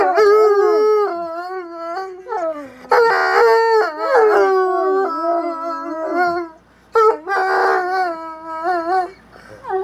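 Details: Two Bloodhounds howling back and forth in a long exchange; overlapping harmonic howls with sliding, wavering pitch, brief breaks around three and seven seconds, then renewed joint howling.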